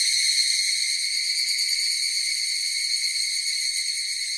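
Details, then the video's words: A loud, unbroken cicada whine, shrill and finely vibrating at a constant level throughout, with no background sounds. "Cicadas Sound effect"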